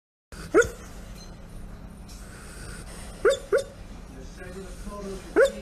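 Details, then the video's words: Pit Bull whimpering in its sleep while snuggling on a man's lap: three or four short, high, rising whine notes at about 0.6, 3.3, 3.5 and 5.5 seconds over a quiet background hum. "Pit Bull whimpers in sleep!"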